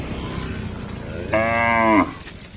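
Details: A single tame village cow in the fields near a lake gives one flat, sustained moo of under a second, full of harmonics, after a background of low engine rumble.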